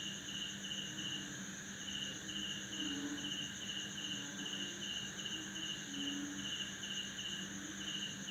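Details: Night chorus of male crickets in a Banda Aceh, Indonesia, backyard at midnight following heavy December rain, wing-made chirps meant to attract females. Bursts of rapid chirps form short groups over a continuous shrill drone, with scattered low frog croaks.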